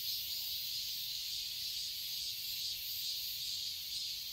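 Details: Cicadas singing in summer in a garden in Seoul, Korea: a steady, dense high-pitched hiss-like drone with slight rhythmic pulsing, continuous throughout with no other clear sounds.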